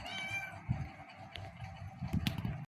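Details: Black kitten in an energetic burst of pouncing play indoors; a short, high, thin meow opens, then soft low thumps and rustling from the romping continue.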